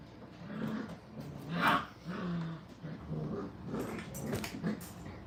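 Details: Playful five-week-old puppies at a kennel: low, rough growls and grumbles, uneven and broken into short bursts, with scuffling noise throughout.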